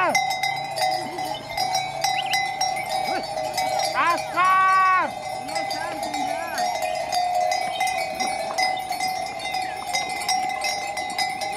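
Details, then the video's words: Sheep on a farm while eating grass: a drawn-out, wavering bleat rises and falls around the fourth to fifth second amid steady ringing bells and a person calling a name. "Sheep eating grass in the farm"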